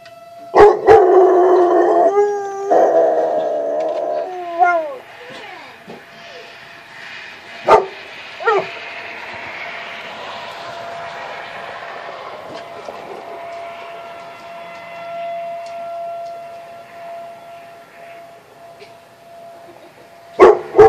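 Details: Domestic dog howling in response to monthly severe weather sirens, giving drawn-out wavering howls that slide up and down in pitch over the first five seconds, followed by scattered yips, a background siren tone and broad noise.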